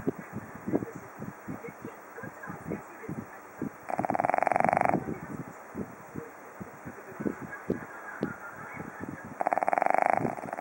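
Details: Snoring Japanese Chin dog: two rattling, buzzing snores, each about one second long, come roughly five and a half seconds apart. Between them are scattered soft clicks and snuffles.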